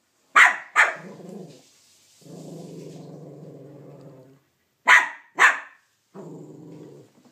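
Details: Banjo the Cavalier King Charles Spaniel protests Minnie Mouse taking his bone: paired sharp barks alternate with long, low, rumbling growls lasting about two seconds.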